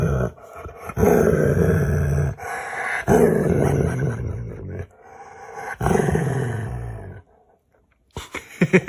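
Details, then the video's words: A pet dog playing games with its owner makes funny noises: long, low, growly groaning sounds in bursts of about one to two seconds, separated by short pauses, with background music and people laughing nearby. "Cute dog makes funny noises with his owner"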